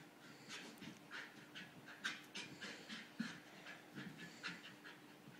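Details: Soft, rhythmic panting from an English Bull Terrier, short breathy bursts in quick succession with a few sharper clicks of the mouth.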